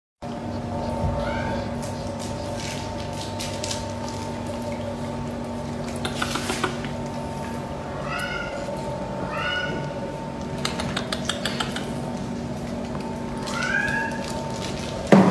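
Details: Silver tabby and white male cat meowing indoors: short rising-then-falling meows repeat every few seconds over a steady electrical hum, with occasional rustling and faint voices.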